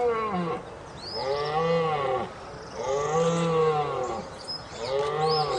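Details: Stag roaring in three drawn-out, arched, harmonic bellows, each about a second long with short gaps between them, plus faint high whistles in the background.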